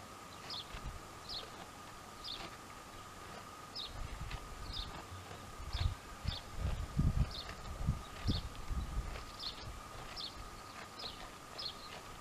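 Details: Two dromedaries, Jamahl and Laila, calmly chewing the cud: soft low crunching bursts building in the middle, under a steady high whine and a rapid series of sharp high chirps.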